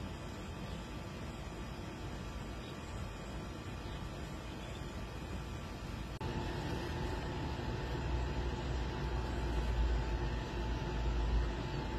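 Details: Steady low engine rumble like passing traffic, growing louder halfway through, with no animal calls heard.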